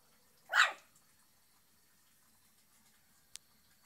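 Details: Shih Tzu giving a single short, sharp bark near the start, followed by quiet and a brief click later; indoor setting.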